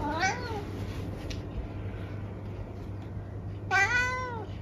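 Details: Eric, a senior tabby cat from England, gives two clear meows indoors, a short one at the start and a louder, longer one near the end, with a steady low hum underneath and a person chatting to him between.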